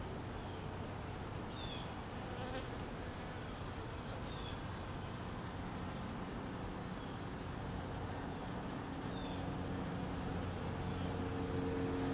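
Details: Honey bees, hungry in cold weather and being fed, fill the air with a continuous buzzing drone, a low steady tone running beneath, with faint short high chirps scattered over it.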